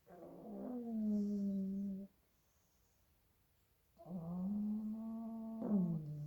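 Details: Pug puppies, two of them asleep, snoring loudly: sustained low nasal drones lasting about two seconds each, level in pitch with a slight wobble at the end, a silent pause between breaths.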